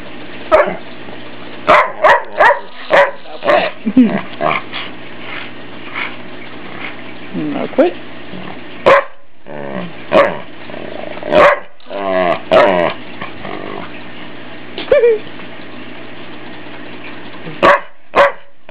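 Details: Ike the family dog, enjoying the attention of being teased, gives repeated sharp barks and yips with a few growly sounds, clustered irregularly over the stretch, with voices and a low hum beneath.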